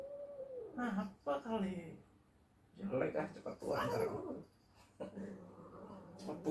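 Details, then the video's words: Angry domestic cat in a bad mood after being teased while trying to sleep, giving drawn-out harmonic yowls that fall in pitch, two in quick succession, followed by a person's voice talking. "Melihat tingkah kucing yang lucu sedang marah-marah"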